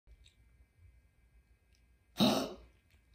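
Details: A pet dog with laryngeal stenosis, which coughs hard at even small temperature changes, is on its way to the vet again. One harsh, explosive cough bursts out after two seconds of quiet and lasts about half a second over a faint steady hum.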